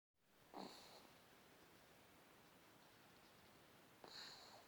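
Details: Sleeping puppy snoring softly indoors: two brief, breathy snorts about three and a half seconds apart, each carrying a thin whistling tone, with a quiet hiss between them.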